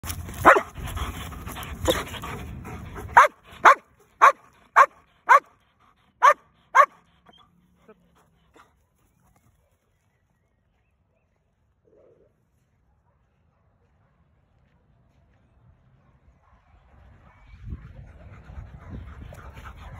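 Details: Two Belgian Malinois guard dogs barking: a few loud, rough barks, then about seven sharp, evenly spaced barks roughly every half second, then a long quiet stretch ending in rustling noise.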